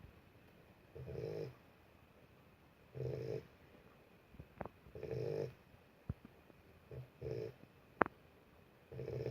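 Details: Boxer puppy asleep, snoring in soft low rattling breaths roughly every two seconds, with a few faint clicks and a sharp tap between snores in a quiet room.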